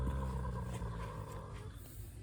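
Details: A mare lying down snoring and growling: a deep, steady rumbling groan with low layered tones that slowly fades away.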